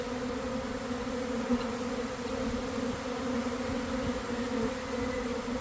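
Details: Swarming honey bees pour from a hive in a garden at about 1 p.m. after cold, damp days; the massed wingbeats make an unbroken, even, low hum throughout.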